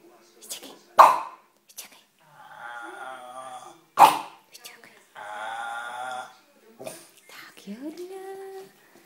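A French Bulldog makes drawn-out, moaning 'talking' sounds broken by two sharp huffs, with a person's voice nearby.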